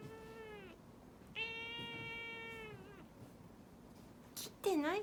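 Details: Cat complaining during claw clipping: two long, steady, drawn-out meows, the second lasting well over a second, then a sharp clatter and a higher, wavering meow at the end, all in a quiet room.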